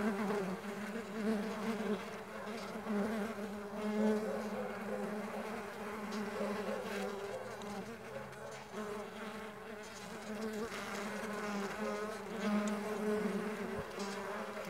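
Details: Mandaçaia stingless bees flying, their flapping wings giving a steady, low harmonic hum that swells and fades gently and slightly wavers in pitch, with several overlapping buzzes and no other clear sounds.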